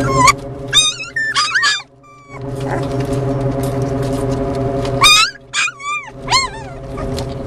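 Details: Beagle and Jack Russell Terrier mix puppies, four of them, being driven by car to a rescue in Columbus; thin, high whines with sliding pitch, several overlapping in bursts, above a constant low vehicle drone.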